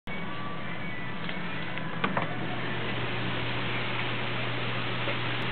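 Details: Steady broadband noise with a constant low hum fills the recording, a few faint clicks near two seconds, and no animal voice is heard.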